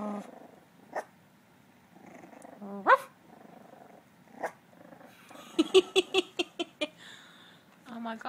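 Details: Dachshund puppies trying to learn to bark: a quick rising squeaky yelp, then a run of six short high yips in fast succession, with a woman talking softly between sounds.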